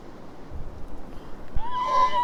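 A horse gives a brief, high, ringing neigh after a stretch of low background rumble.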